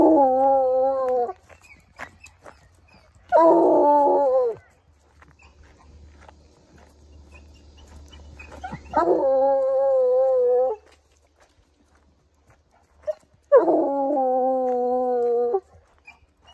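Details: Hunting coonhound baying while tracking a scent during a walk: four long harmonic howls, some wavering and slightly rising, lasting one to two seconds each, with gaps of quiet and a low background hum.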